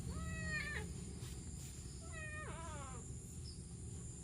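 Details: A kitten found by the road along rice fields in the morning, crying for help: two clear, harmonic meows, the first level and the second rising then falling, about two seconds apart, over steady low background rumble.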